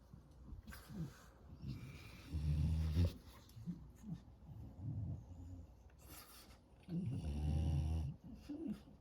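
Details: Napping French Bulldog puppy on an afternoon sleep, snoring very loud: two heavy, buzzing snores near the middle and end, separated by quieter wheezy, snuffly breathing.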